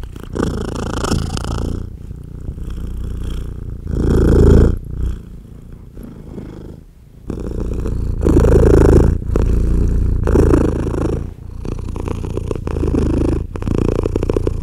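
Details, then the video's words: Mother British Blue cat purring loudly while nursing her tiny kittens as they jostle to feed; deep, continuous rumbling purr with steady pulsing, swelling louder in bursts, with faint rustling from the kittens. "Purring Mother Cat Nurses Tiny Baby Kittens"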